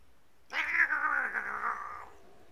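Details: Domestic cat giving one long, drawn-out yowl of about one and a half seconds, loud and harsh at the start, then wavering slightly and sinking in pitch before stopping abruptly; otherwise quiet.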